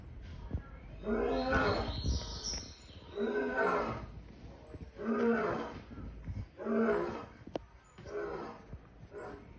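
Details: Lion giving a series of deep, rough, drawn-out roaring calls, about five in ten seconds, each swelling and fading, with some background noise.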